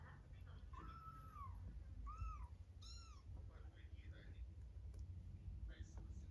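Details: A cat with kittens gives three clear meows in quick succession, each a smooth rising-then-falling arc, followed by quieter faint chatter and room noise.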